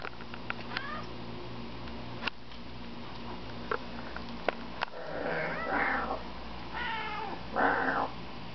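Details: Cat barking at a pigeon from a balcony. Faint clicks and taps give way to two loud, harsh, rasping cries late in the clip, set against a continuous low hum.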